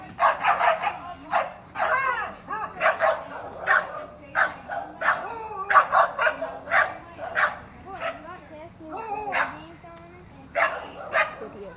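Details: Beagles baying in a dense run of loud, wavering, yelping bays with bent, sliding tones, several overlapping voices, with a steady high electrical whine throughout.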